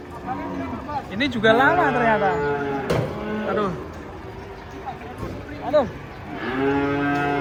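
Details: Giant cow jumping down from a truck, lowing in a series of deep, harmonic moos that rise and fall, with people's voices nearby.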